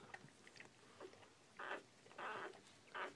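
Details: Bull Pei puppies an hour after birth, baby girls, make three short nasal squeaks spaced about half a second apart in a quiet room, with soft background rustle.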